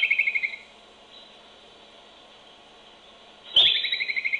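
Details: A groundhog near its burrow in a barn, recorded by a nearby baby monitor, gives shrill, rapidly pulsed whistles in two short bursts separated by a quiet pause.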